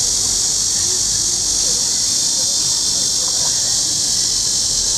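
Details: Continuous shrill droning of cicadas in lakeside trees at Huangzhou, intense and even, with faint murmurs low underneath.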